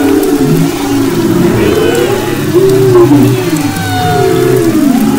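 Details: Humpback whales off Maui's west coast, February 2011, singing in overlapping wavering moans and upsweeping whistles, with low pulsed groans beneath and constant ocean hiss.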